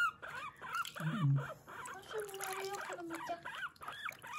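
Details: While being bathed, guinea pig Kurumi utters curved squeaky "puipui" notes, overlapped by a low human voice and a long sliding tone.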